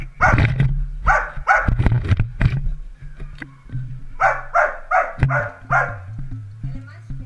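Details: Dalmatian puppies at play bark in loud high yaps, a dense opening volley followed by a steadier run of five or six barks, over a low humming drone.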